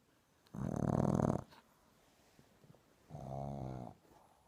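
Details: A Boston Terrier puppy snores during a nap, with two long, low, rumbling breaths a couple of seconds apart.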